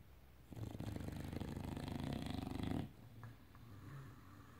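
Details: Enzo, an English bulldog, sleeps indoors and gives one long, low, rattling snore lasting about two seconds, followed by soft, quiet breathing sounds.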